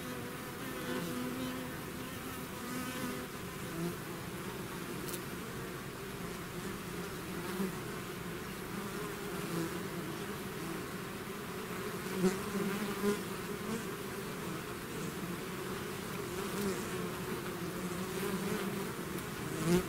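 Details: A bees swarm out of its hive drones continuously, a rich buzzing hum with shifting pitch bands and scattered brief close fly-bys of individual bees.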